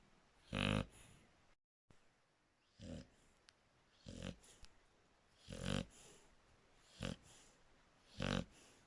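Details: Draco the Shar Pei snoring, irregular raspy breaths of varying loudness, a brief dropout early on, faint shorter snuffles between the stronger snores.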